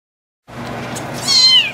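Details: Two-week-old bottle-fed kittens, abandoned by their mother, at feeding time; after a short hiss of handling noise one high, thin meow sweeps downward in pitch near the end.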